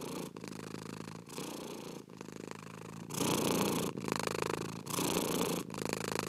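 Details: Purring cat, soft rhythmic rumble that turns noticeably louder and fuller halfway through, pulses of under a second divided by quick breath gaps.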